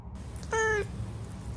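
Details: Domestic cat giving one short meow, a steady tone that dips slightly at the end and lasts about a third of a second, over a low background hum with nothing else heard.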